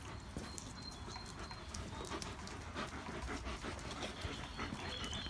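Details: A pack of German Shepherds playing outdoors in the rain; soft breathy panting runs through the clip over steady rain patter, broken by scattered sharp knocks and thumps.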